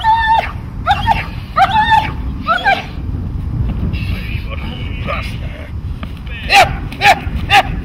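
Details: Dog barking during protection training: loud harmonic barks in quick bursts of three or four, then a pause and another short volley near the end, with people talking and low background rumble throughout.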